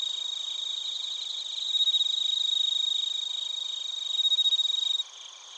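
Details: Crickets and bell crickets, Narita, Chiba, Japan, recorded on a TASCAM Portacapture X8: an intense, high, pure-toned trill made of quick pulses, rising in loudness twice before stopping abruptly, after which a fainter ringing chorus continues.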